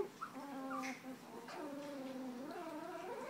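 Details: Newborn pups of Tucker and Libby's litter, two weeks old with eyes opening, give long wavering whines that slide up and down in pitch, one pup crying almost continuously over quiet rustling indoors.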